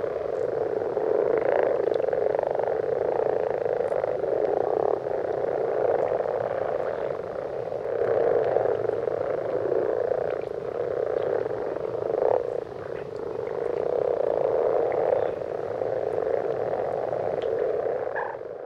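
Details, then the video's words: Common frogs calling on a winter night in a wetland in central France, a dense continuous chorus of low purring croaks merging into a steady hum, with no clear gaps. "GRENOUILLES Rousses/Chants/Hiver"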